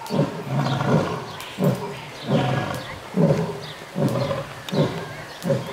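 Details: A lion at Tierpark Hellabrunn zoo gives a series of deep, breathy grunting roars, each short and repeated under a second apart.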